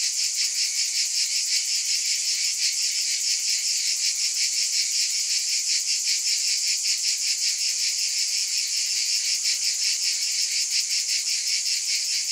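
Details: Dense cicada buzz, shrill and unbroken, throbbing in a regular beat of roughly two and a half swells each second across the whole stretch.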